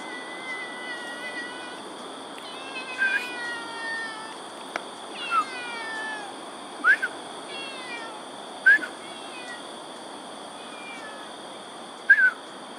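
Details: Domestic cat, not a stray, at Ulu Pandan Park Connector, Singapore, on 3 February 2020 at 6:57 am: a series of short, falling, harmonic meows every one to two seconds, over steady high insect-like tones, with people chatting in Chinese.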